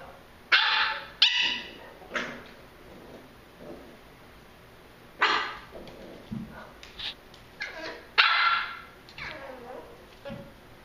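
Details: Pembroke Welsh Corgi puppies at play, giving several short, sharp yapping barks in scattered bursts with quieter whines and scuffling between them.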